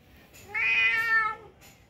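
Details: Domestic cat sunbathing in winter gives a single clear meow lasting about one second, a steady harmonic-rich tone that holds level then fades, with faint background noise around it.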